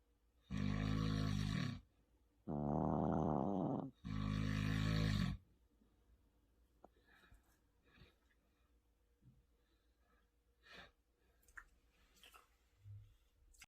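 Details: Maltese puppy snoring alongside a second sleeper: two deep, rough snores bracket a higher, trembling snore over the first five seconds, then only faint shuffling and soft rustles.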